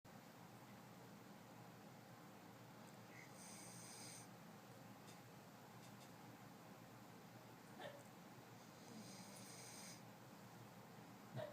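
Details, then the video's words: A sleeping female cocker spaniel snores softly, a low rasping breath that rises and falls steadily, recorded 19 November 2011. "Harper Marie the Adorable Cocker Spaniel - Snoring away"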